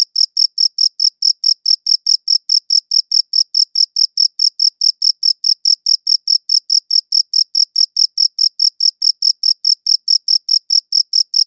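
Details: Cricket chirping steadily in a quiet setting, captured with a good audio recorder: high, clean pulses repeated about four times a second in an even rhythm, with no other sounds.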